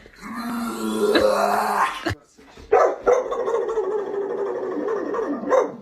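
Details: Dog making a strange, drawn-out vocal sound: a wavering, harmonic whine-like howl for about two seconds, then a short break and a longer, lower rough moaning sound, with people laughing nearby.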